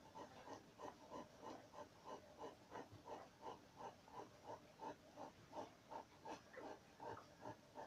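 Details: Newborn Dogo Canario pups, two days old, from the B litter at El Mundo Fantastico kennel: rhythmic little snuffling grunts and squeaks repeated roughly three times a second, evenly pulsing throughout.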